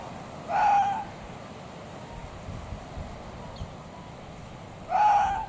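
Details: Arctic fox scream: two short, harsh, strained calls about four seconds apart, each under half a second, over a steady faint background hiss.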